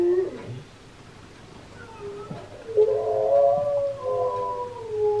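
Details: Husky vocal performance heard by Key, another husky, who tilts his head. After a quiet start, a long, smooth, slightly bending howl-like note swells and holds for about two seconds, then trails off.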